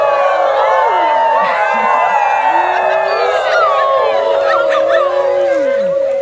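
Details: Howl Night chorus led by Wolfgang, the Main Pack's alpha wolf, loud and clear: many long, sliding howls rise and fall together, some dipping low and wavering, over crowd chatter and a held droning tone.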